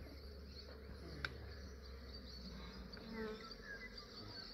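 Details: Massive honey bee swarm being captured by an Australian beekeeper early in the morning, before it warmed up: steady low droning hum of many bees with faint higher whine, a brief sharp click near the start.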